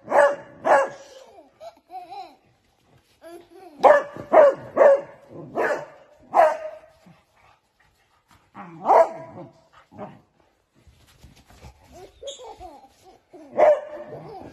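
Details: Beagle puppies playing with a baby give short, high, yappy barks in quick clusters, with pauses between bursts.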